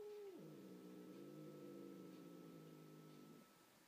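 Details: Female house cat confronting a neighbourhood tomcat she rejects: a brief high note drops into a long, low, steady rumbling growl lasting about three seconds, then fades.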